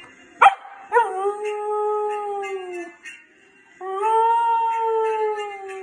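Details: A female Samoyed in Canada "sings," howling in long, smooth, sustained tones after a sharp opening yip.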